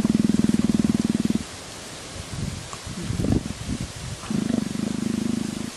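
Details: Leopard being scratched, with a quieter low throbbing rumble at the start and end and soft rustling and scratching in the middle.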